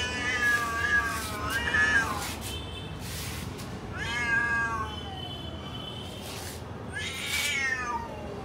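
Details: Several cats outdoors in a garden meowing repeatedly, harmonic calls that rise then fall, about four separate meows spread over the stretch, with low background rumble.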